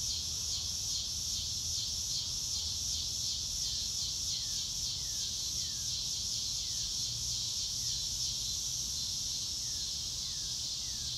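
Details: Crickets chirping in a natural setting on a bright blue-sky day, no music added: a steady high trilling chorus throughout, with short faint descending whistles from another animal dropping in every second or two.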